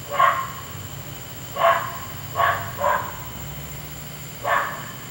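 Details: Neighbour's dog barking at night, keeping the household awake over an hour; five sharp, mid-pitched barks at uneven intervals, two close together near the middle, over a steady low hum.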